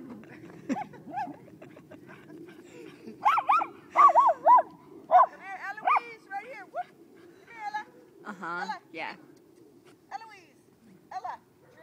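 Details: Small miniature schnauzer tearing into a big snowball during the first snowfall of 2012 in Seattle, Washington, with bursts of rapid high yelping barks and growly yips in irregular clusters, and a person speaking encouragingly.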